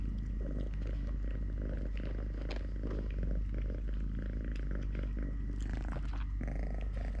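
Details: Steady rumbling purr from Totoshka, a three-legged pet cat, while having food, playing, walking or fighting with a hand; rhythmic low pulses continue unbroken, with light rustles layered on top.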